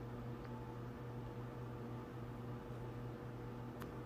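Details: A steady mechanical hum and hiss, like a fan or appliance running indoors, with no cat or other animal voice.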